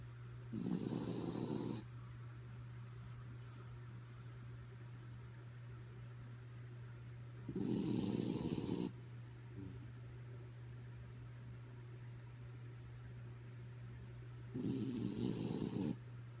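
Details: Sleeping dog Kaya Boo snoring: three coarse, buzzing breaths about a second long, spaced roughly seven seconds apart, quiet between them except for a steady low hum.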